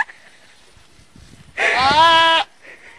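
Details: A single goat bleat, almost one second long: a wavering, nasal, harmonic cry over a quiet background, with faint voices before it.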